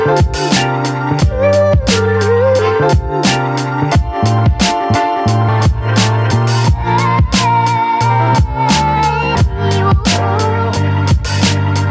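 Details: Rhythmic instrumental music with a strong repeating beat, bass and melodic lines, and no animal sounds.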